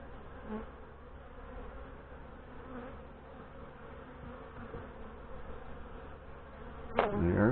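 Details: Western honey bees from a queenless hive, opened during an August hive inspection, fill the air with a steady, low, droning hum as frames are lifted out; their earlier aggression has calmed.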